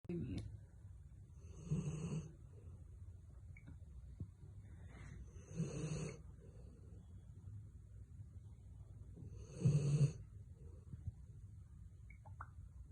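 A Rottweiler snores in deep, rumbling breaths that come roughly every four seconds.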